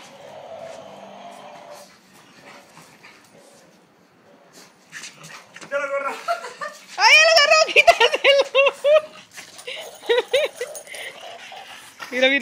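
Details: Bulldog named Kirby, a pet dog playing and jumping indoors, gives a rapid run of high, arching, harmonic yips and whines, many calls per second in bursts, while a person talks in Spanish in the background.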